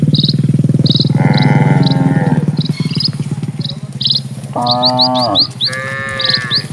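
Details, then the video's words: Dozens of cattle are crossing a peaceful rural road, giving a long moo early on and two more strong, falling moos later, with a low rhythmic rumble underneath and rapid high bird chirps dotted across. "SUARA SAPI"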